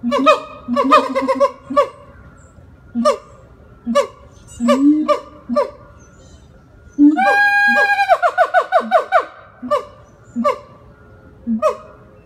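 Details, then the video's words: Siamang at Jacksonville Zoo in Florida giving its vocal performance: low booming notes alternate with sharp rising barks, then a loud sustained harmonic wail near eight seconds breaks into rapid repeated yelps, followed by more spaced barks. "Siamang (Symphalangus syndactylus) vocal performance and howling"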